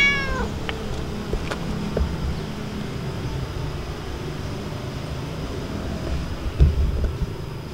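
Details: Domestic cat, a stray, meowing to ask for food: one short falling meow with clear harmonics at the start, then a long stretch of steady low engine or traffic rumble and a few faint clicks.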